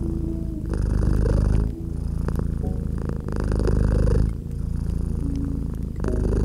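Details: Domestic cat nestled by a gently crackling fireplace, purring steadily. The low vibrating rumble rises and falls in long breath cycles of about one and a half seconds, with scattered fire crackles and soft background tones.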